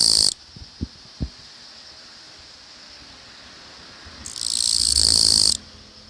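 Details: Japanese katydid singing in a newly built residential area of the Tokai region, Japan, unafraid of people and singing on as the camera moved close; loud high buzzy bursts, one brief and one lasting over a second, with quiet between.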